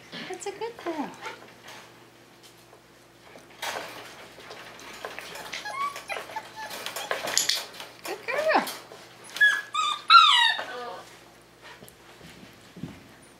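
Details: High whimpers and squeaky, wavering whines come from five-week-old Tamaskan Dog puppies during the Puppy Culture box game, rising and falling in quick clusters, mixed with a woman's voice and knocking sounds indoors.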